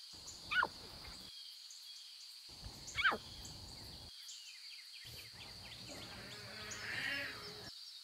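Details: Wild lion cubs in their natural environment making two short, sharply falling mews about two and a half seconds apart. A constant high-pitched drone and scattered bird twitters fill the background.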